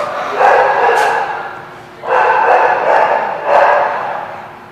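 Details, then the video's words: Dogs at a barking lot, recorded 2/24/17, with three loud, drawn-out, rough baying barks, the longest running over a second, separated by short quieter gaps. "The Barking Lot"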